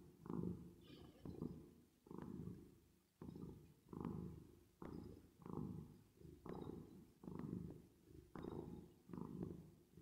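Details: Domestic cat purring while resting and sleeping, with added reverb: a low, steady rumbling purr that swells and fades in breathing cycles roughly every two seconds, with no other sounds.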